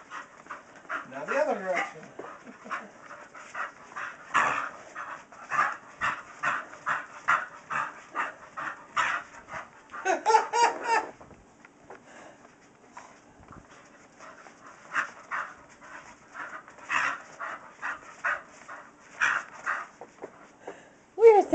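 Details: Kyree, a female Staffordshire Terrier, indoors while chasing her tail: quick breathy pants in runs of about two per second. A person talks to her between the bursts.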